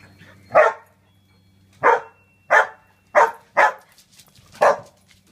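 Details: Jealous male Labradoodle barks to break up two other dogs playing together: six sharp, loud barks spaced irregularly over about four seconds, with a quieter low rumble at the start.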